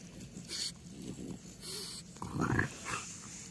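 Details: Timber, a French Bulldog, plays and rolls around in clean blankets on a couch at home; soft snuffling with a brief throaty grunt near the end, and faint music in the background.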